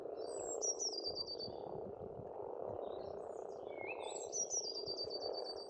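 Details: Frogs croak together in an unbroken low chorus at a spring pond on an Estonian farmstead; twice a bird sings a high descending trilled phrase, the second preceded by a rising whistle.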